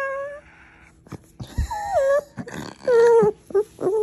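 A Chihuahua gives a squeaky, whining yawn with wavering, falling tones.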